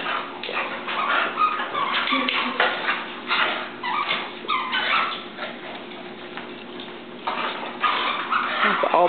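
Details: Two dogs at play: Oliver, a Boston Terrier, and Gracie, a chow-collie mix. Bursts of yips and whimpering rise and fall in uneven clusters, with a woman's voice cheering them on throughout.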